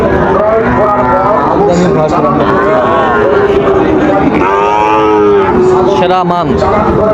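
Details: Sahiwal bull calves at Raniganj cattle market in Dinajpur, 15 August 2024, giving repeated drawn-out moos with arching tones, mixed with constant crowd chatter and men's voices bargaining over prices.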